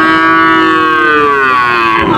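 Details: Heifer calves at the Panchbibi cattle market, recorded 23 June 2025; one loud, long, full-throated moo that slowly falls in pitch and breaks off at the end.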